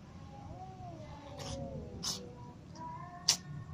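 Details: Several domestic cats, a ginger cat and little cats among them, meowing while they eat: soft, overlapping drawn-out meows with rising and falling tones, a few sharp clicks and a steady low background rumble.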